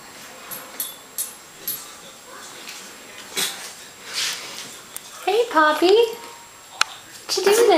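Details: Shichon puppies playing in a nursery, Teddy Bear type; after soft thumps and rustles come a burst of several quick high whines and yelps, then one more yelp at the end, while a person talks.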